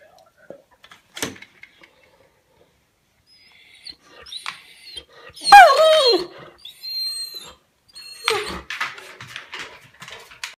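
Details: A male Weimaraner, ignored while sitting on the sofa, demands attention with a loud, falling whine among softer grumbles, horse-like noises and yawn-like moans.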